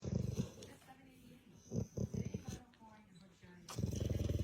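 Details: A sleeping dog snoring: low, rough, pulsing breaths with a fine rattling flutter, loud at the start and again near the end, with softer uneven snorts between.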